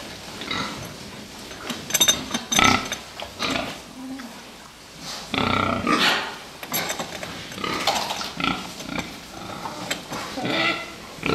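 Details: Crowded fattening pigs, filmed in Czechia, producing rapid grunts and piercing squeals, busy and overlapping, with metallic rattling and faint voices in the background.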